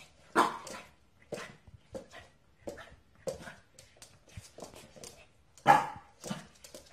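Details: A Corgi dog barks repeatedly, short sharp yaps roughly every half second to second, with one especially loud bark near the end and little other sound between.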